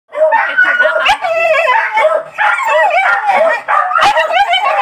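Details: Pet dog reacting on seeing a mouse caught in a storeroom, giving loud, drawn-out whining yelps with wavering, strained tones, sounding almost horse-like, repeated in long bursts with brief pauses between.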